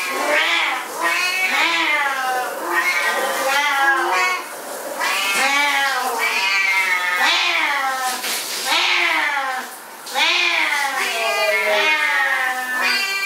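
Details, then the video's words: Pair of Siamese cats caterwauling at shower time in the home; overlapping drawn-out meows rise and fall in pitch, a steady stream of insistent wails with brief pauses, the two voices alternating and overlapping throughout. "Our Siamese Cats at Shower Time"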